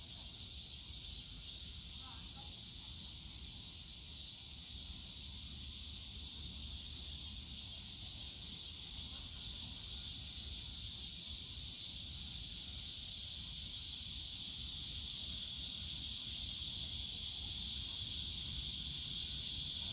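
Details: Cicadas in the bamboo forest at Yongsan Family Park on a summer day; the continuous high, sizzling drone swells steadily louder over twenty seconds, a soft low hum of park noise underneath.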